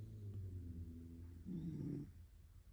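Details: Domestic cat sleeping in a lap in bed, snoring: a low, droning rumble with steady breathing, then a louder, rougher inhalation swelling for about half a second before fading back to quiet breaths.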